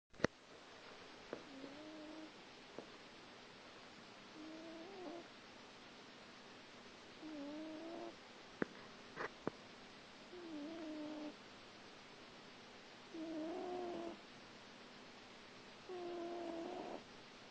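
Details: Small grey cat asleep and snoring: soft wheezy, nasal tones that waver up and down, each lasting about a second and returning roughly every three seconds, with a few faint clicks in a quiet room.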